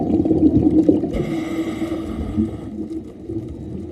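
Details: Whale song heard underwater during an afternoon scuba dive on 2/15/2023, with whales singing throughout the dive: a steady tonal moan with bright overtones rising over a low underwater rumble.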